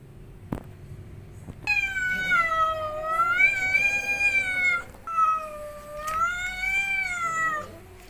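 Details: Angry cat in Indonesia yowling in two long drawn-out wails, each holding a wavering tone with rich harmonics, the first lasting about three seconds, separated by a brief pause; quiet background.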